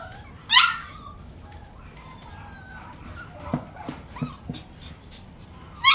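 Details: A curious Bichon Frise lets out a sharp, high yip, followed by a few soft, faint whimpers and a second sharp yip at the very end, against a quiet, low-rumbling room.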